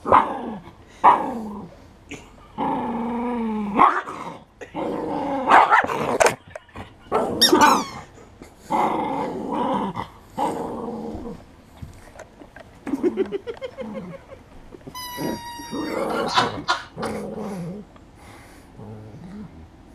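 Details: Poodle playing with a rubber toy in March 2016, giving rough growls and short barks in bursts, with music playing throughout and people talking and praising it.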